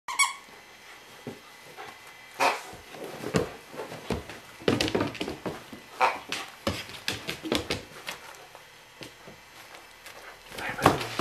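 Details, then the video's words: A standard poodle puppy playing with a plush toy gives short, sharp yelping bursts scattered irregularly through the recording. Softer rustling and thumps of play come between them, indoors. "Petit caniche qui s'amuse"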